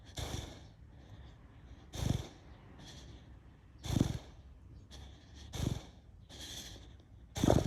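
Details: Pet Beagle sound asleep, snoring: deep, rough snorts recurring about every two seconds, each with a breathy rush between, while faint bird chirping sounds in the background.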